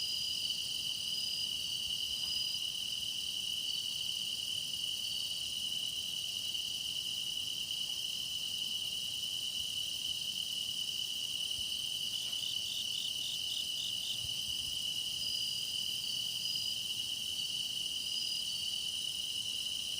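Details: Meditation recording of grass insects singing as night deepens: a constant high-pitched trill drones on, layered with higher shimmering insect voices; around the middle a separate rapid pulsing chirp joins for about two seconds, then fades.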